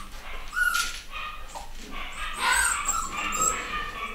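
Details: A litter of 9-week-old male and female Miniature Dachshund puppies give thin, high squeaks and whimpers, several overlapping in quick bursts.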